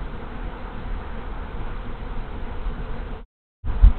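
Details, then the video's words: Honey bee swarm moving into an empty backyard hive after the colony died over winter, March 24, 2023, afternoon; a dense, steady low droning hum of many bees, broken by a brief gap near the end. "Honey Bee Swarm Moving In"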